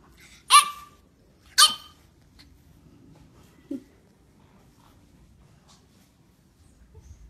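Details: A French Bulldog talking back to its owner gives two sharp, yowling barks in quick succession, followed by a soft grunt.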